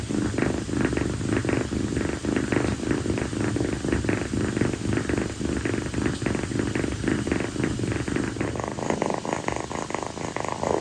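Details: On a hot night, Kii, a rescued female calico kitten born around late April, stays on her owner's feet and keeps purring. The low, buzzing rumble pulses evenly throughout, with faint room noise behind it.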